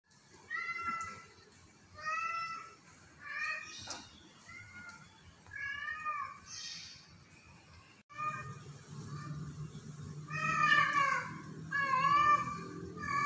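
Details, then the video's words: A cat on the roof of a house meows repeatedly, drawn-out wavering mews coming every two seconds or so, growing louder and more insistent toward the end, with a low rumbling hum in the background in the second half. "Kucing di atap rumah"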